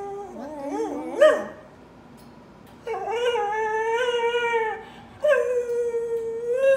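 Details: A crying dog gives wavering whimpers, then long steady howling whines with strong harmonics, a pause, and another sustained cry rising at its end, heard in a quiet room.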